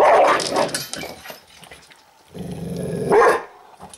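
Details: An angry dog growling while it eats: two loud, rough, snarling bursts, one at the start and a longer one after a short pause, with the growl peaking near its end.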